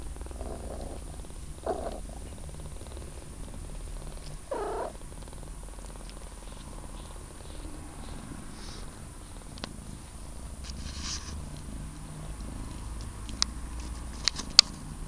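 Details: A kitten three weeks old purrs with a quiet, pulsing low hum, punctuated by a couple of short faint mews in the first seconds and scattered light taps and rustles toward the end.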